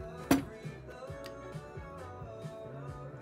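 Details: Quiet plucked guitar music with a sharp knock near the start and faint speech, no animal calls present.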